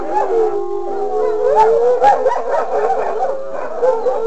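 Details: Wolfdog howling: long wavering mid-pitched tones, several voices overlapping and sliding up and down continuously throughout.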